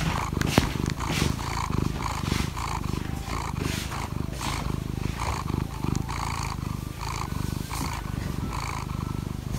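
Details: Domestic cat purring in the morning while asking to be petted; a deep, steady rumbling purr pulsing in regular beats about once a second, loud and close throughout, with no other clear sounds.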